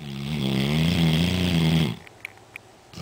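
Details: Black Labrador Retriever snoring very loudly while asleep; one long, rumbling, buzzy breath lasting nearly two seconds, then quiet with a couple of faint clicks.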